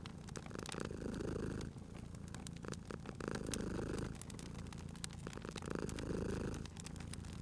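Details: Cat sleeping by a crackling fireplace, purring steadily: a deep, vibrating rumble rising and falling with each breath, about every two and a half seconds, over sharp clicks and pops of burning wood.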